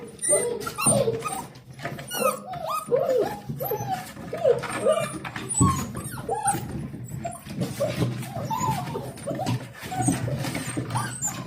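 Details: Litter of 7-week-old Dalmatian puppies greeting their owner home from work, a continuous chorus of overlapping high rising and falling whimpers and yips from several pups, with rustling and shuffling throughout.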